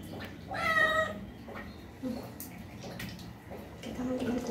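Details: Street cat being bathed for the first time, handled and washed carefully, gives a single drawn-out meow with clear harmonics near the start, then only faint low rustling and splashing follow.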